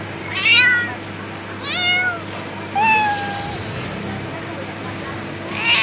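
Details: Domestic cat meowing four times over about six seconds, each call a bright, harmonic-rich mew that rises then slides downward, the third drawn out longest, over a steady low electrical hum.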